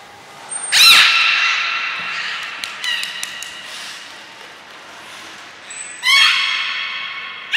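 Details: Belugas Gray, Nana and Mirai in training at Port of Nagoya Public Aquarium, 7 June 2022: two loud buzzy, harmonic bursts about five seconds apart, with scattered clicks and faint thin tones between them.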